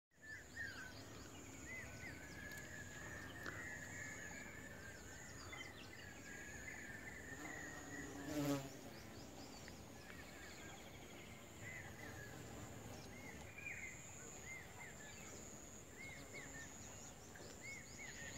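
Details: Western honey bees collecting nectar from sunflowers alongside a carpenter bee, buzzing steadily at low pitch, with a thin high whine and faint chirps behind.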